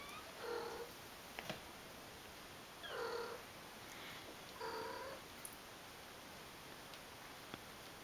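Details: Kittens at play indoors; three short, quiet, harmonic meow-like calls come at about half a second, three seconds and nearly five seconds, with scattered faint clicks over a steady background hiss.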